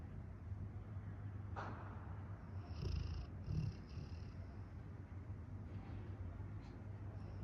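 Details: Rottweiler. A Rottweiler snores in a deep, continuous rumble, with a purr-like quality. A couple of heavier, louder snorts stand out near the middle before the drone settles back.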